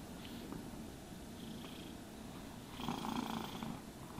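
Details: Domestic cat purring while being brushed and groomed indoors: a steady low rumbling purr runs throughout, with a soft swishing brush stroke near the end and no talking.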